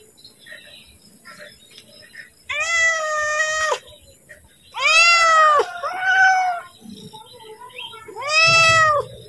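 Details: House cat meowing for food at feeding time: four loud, nasal meows with rich harmonics, the middle two nearly back to back, with a quiet room in between.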